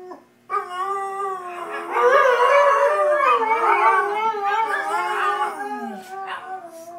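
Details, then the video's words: Two domestic dogs, Shanty and Yuna, start with a soft note then swell into a full, loud duet of wavering, intertwined howls that slowly taper off. "Dogs howling funny"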